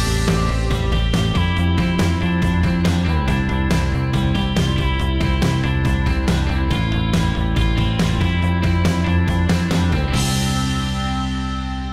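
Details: Driving rock music with guitar chords and pounding drums, easing into a sustained fading chord near the end, with no animal voice anywhere.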